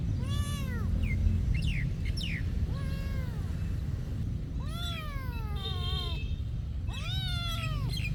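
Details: Repeated meowing from cats living at a monastery, a mix of short chirpy cries and long bowed wails, some loud and clear, others overlapping, set against a dull low rumble.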